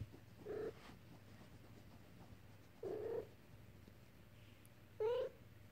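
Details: Bengal kitten three weeks old, playing, gives three short, thin mews about two seconds apart against a low steady hum.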